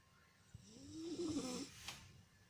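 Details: Sphynx cat giving a single snore: a breathy in-breath with a hum that rises, then dips, then fades, followed by a soft hiss of air.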